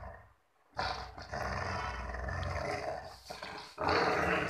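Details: Playful puppy growling during play: a rough, noisy rumble that starts after a short silence and runs almost unbroken for nearly four seconds, dipping briefly before a louder, harsher burst at the end.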